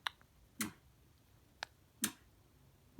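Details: Only a handful of sharp, dry clicks or smacks, spaced irregularly about a second apart, in a quiet room.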